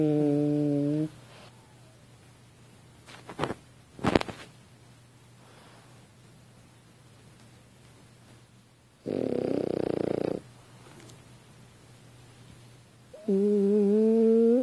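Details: French Bulldog sleeping on a couch indoors, snoring: harmonic, wheezy tones at the start and end, a broad noisy rasp near the tenth second, brief clicks and thumps in between, quiet stretches otherwise.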